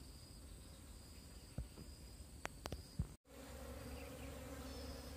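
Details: Wild bees from a colony that has split off, being moved into a cardboard box; sharp handling clicks and knocks, a brief dropout, then a steady low droning hum with a higher overtone fills the rest.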